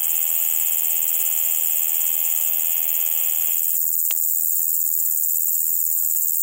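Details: Large Conehead (Ruspolia nitidula) at Keutschacher See, Austria, 20 August 2021, giving a continuous high-pitched buzz that stops abruptly near four seconds, leaving faint hiss and a single brief click afterwards.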